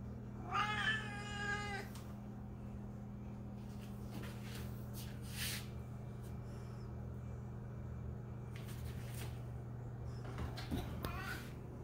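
A Siamese cat gives a loud, drawn-out, harmonic-rich meow over a steady low hum.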